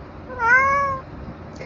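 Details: Cuddly tabby cat having treats gives a brief meow, dipping slightly then rising and holding, followed by quiet and a small click.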